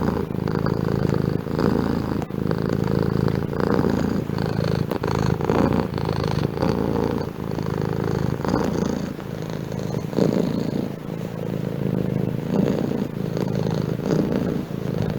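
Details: Domestic cat's prolonged purr, a thick low rumble rising and falling regularly with each breath for many cycles, recorded close with a few soft clicks.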